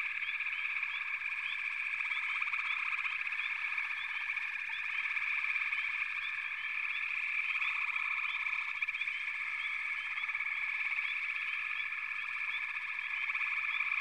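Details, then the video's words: Steady frog chorus, a constant layered trill from numerous frogs, dotted with brief repeated chirps throughout. "Backwater Chorus, & Frog Chorus"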